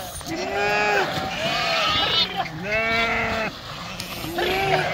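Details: Several sheep bleat while swimming across the Krishna River: drawn-out, quavering calls about a second long follow one another closely, against a constant hiss of moving water and possible human talk.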